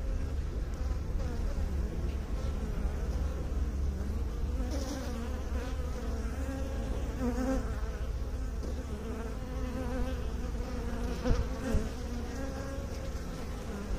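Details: Steady droning of many honey bees, a low resonant buzz with wavering higher overtones, a few brief sharper clicks late on.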